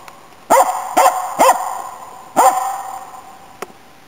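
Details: Inari, autumn 2010: the Finnish Spitz Nella barks while hunting waterfowl and game birds, giving three quick, bright barks about half a second apart, then a single bark after a pause and a faint click.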